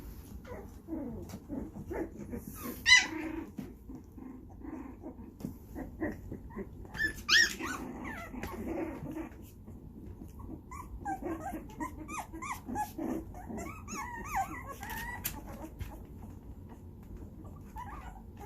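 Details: Puppies 2.5 weeks old at playtime, mouthing at each other's faces, squeak, whimper and give tiny growls in a scattered, uneven stream of high little cries; dog puppies.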